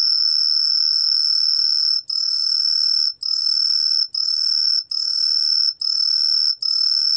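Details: Green tree cricket song: a pure, shrill high whistle held for about a second at a time, with brief breaks of a split second between seven steady bursts, and a faint lower tone running alongside.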